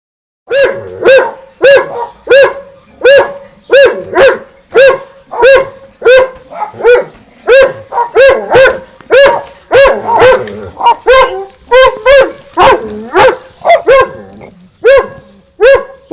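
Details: Two dogs, Winston and Popeye, barking at each other across a garden fence: a fast, steady run of sharp, harmonic-rich barks, close to two per second, continuing without pause for the whole stretch.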